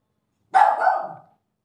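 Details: German Spitz dog giving one sharp, loud bark that trails off over about three quarters of a second, rough and mid-pitched, with no other sound around it.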